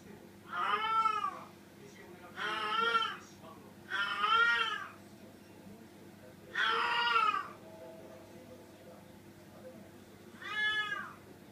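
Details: Female cat in heat seeking a mate, giving five loud, wailing meows with rich harmonics, each swelling and fading over about a second, separated by pauses of one to three seconds, with a faint low hum behind.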